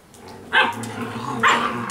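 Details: Alaskan Malamute puppies playing in the rain, with two short, loud yelping barks about a second apart against a soft steady background hiss.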